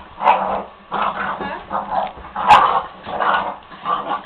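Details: Puppy at night, playing with another dog named Maia: a run of rough growls and short barks in bursts roughly every half second to second, with playful scuffling noise between them.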